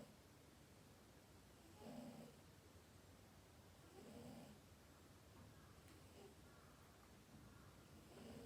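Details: Domestic cat asleep and snoring, two soft rasping breaths about two seconds apart in a hushed room, then a faint tick and quieter breathing.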